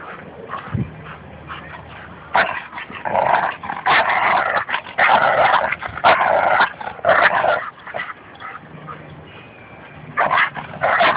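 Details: Tug-of-war play between a Labrador Retriever and a Bouvier des Flandres at a dog park in Fernandina Beach; after a quiet start, a run of gravelly growls in choppy bursts fills the middle, fading, then a final short growl.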